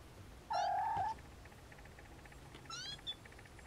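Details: A Siamese snowshoe kitten lets out a loud, level, nasal meow lasting over half a second, then a second higher rising mew and a short squeak follow after a pause, in a quiet room.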